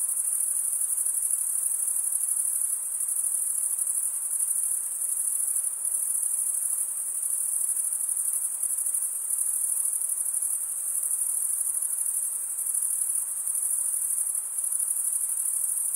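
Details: Crickets stridulating with their wings, usually the males calling. A constant high-pitched ringing trill from a dense chorus, with gentle swells and dips in loudness every few seconds and nothing else audible.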